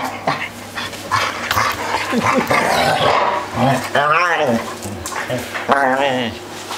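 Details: Three dogs at play making a racket, with mixed growls and grumbles, then wavering, warbling howls that rise and fall, overlapping one another over a low steady hum.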